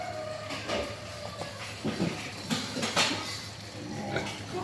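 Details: Wild boar giving short, rough grunting and snuffling bursts, several close together around the middle, over a steady low electrical hum with clattering knocks throughout.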